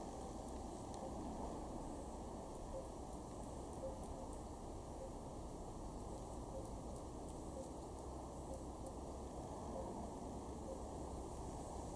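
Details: Only a steady, low rushing rumble like distant traffic or wind is heard, with faint ticking and no clear animal calls.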